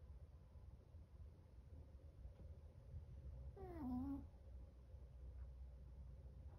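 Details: Sleeping seven-month-old Chihuahua named Chocolate letting out a single loud snore: a brief nasal, whistle-like tone that slides downward and then levels off, over a quiet indoor room hum.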